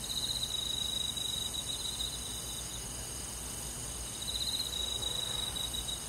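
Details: Cricket chirping on a rural summer night in the forest, two bursts of rapid high-pitched trilling, the first at the start and the second near the end, separated by a quieter stretch of steady insect hiss.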